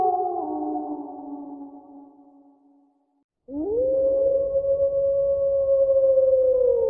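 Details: Wolf howling: an earlier howl trails off and fades to silence, then a new long, smooth howl swoops upward and holds a steady, mournful tone for about three seconds, with a faint low rumble underneath.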